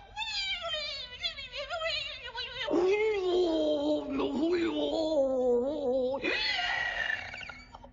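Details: Scarlett Lemur at Aldo Vega: a long, wavering, wailing cry with strong harmonics, sliding down then holding a quavering tone, followed by a harsher burst near the end.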